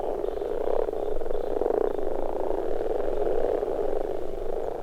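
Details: Breeding chorus of common frogs during spawning, as a female pairs with a male: steady, rumbling mass of low pulsed croaks from many frogs, swelling and fading slightly without pause.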